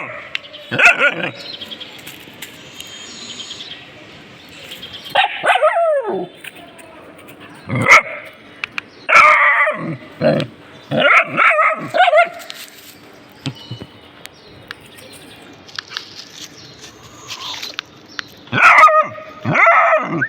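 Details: Dogs reacting to something found give irregular bursts of strained, yelping barks, some in quick doubles, with quiet gaps between and a loud cluster at the close.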